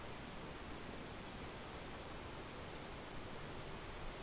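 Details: Summer field cricket song, an even, sustained high shrill tone with no pauses, carried over a low hiss of light wind.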